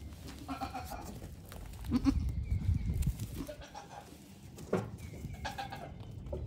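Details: Newborn to week-old goat kids hopping and climbing on a farm with fifteen babies; short nasal bleats come at the start and again near the end amid scuffling and low rumbling.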